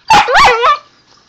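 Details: Husky puppy Zoey vocalizing back at her owner indoors with three quick, rising-and-falling yowling syllables, rough and rubbery, like a short spoken phrase, ending abruptly with quiet afterward.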